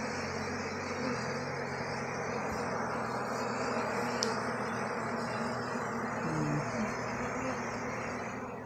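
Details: Honey bees kept in hives in Jamaica, disturbed as a man handles them; a constant dense buzzing swarm drone throughout, with a single sharp click midway and faint murmurs.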